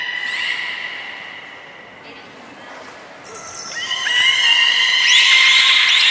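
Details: Belugas at Port of Nagoya Public Aquarium on 30 March 2019, feeding on fish and playing. A sustained harmonic tone fades out, then bright overlapping squeals and chirps swell loudly.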